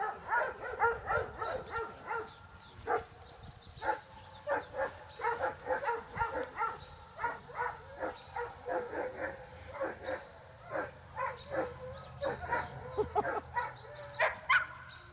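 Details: Hattie, a one-year-old Giant Schnauzer, practising hand signal exercises gives a long, steady series of rapid barks and yips, several each second, with a brief high squeak near the end.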